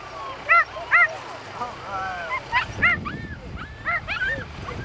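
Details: Piper, a border terrier, trying Strong Dog, where the dog enters a tunnel to pull out a 15-pound fake badger matching its own weight; a handful of short, sharp, high barks in pairs and singles over people talking.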